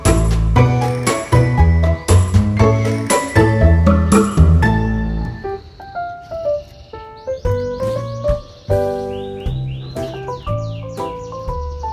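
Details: Instrumental music with plucked and sustained tones plays throughout, with no clear animal voice.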